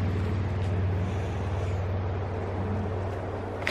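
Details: A steady, loud engine rumble like a running vehicle fills the recording throughout, with no animal sounds.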